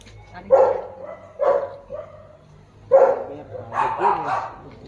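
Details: Barks of a German Shepherd dated 06.10.2025: two quick gruff woofs, a pause, then a further pair of rougher barks, with low background hum and nearby Tagalog conversation.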